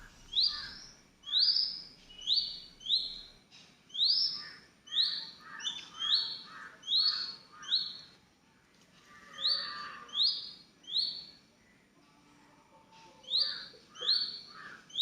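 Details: Orphaned baby squirrel, rescued and fed milk by hand, gives rapid strings of shrill rising squeaks, often in pairs or triplets, almost continuous for fifteen seconds with one short pause near the end.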